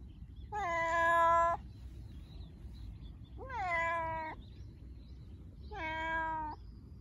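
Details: Happy meowing from a domestic cat, expressing affection or playfulness toward its guardian: three loud, drawn-out harmonic meows, each starting with a slight rise then holding level, separated by roughly two-second pauses over low background noise.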